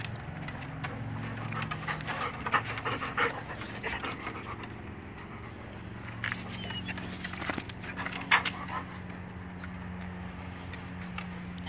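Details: Springer Spaniels Lucas and Evie running around and playing in a backyard in Fort Atkinson, Wisconsin, in fall 2016; steady rapid panting with scattered thumps and a low continuous hum.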